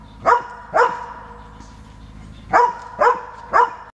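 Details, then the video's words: Transylvanian Hound barking in bursts: two sharp barks, a pause of over a second, then three more barks evenly spaced about half a second apart. "Transylvanian hound barking"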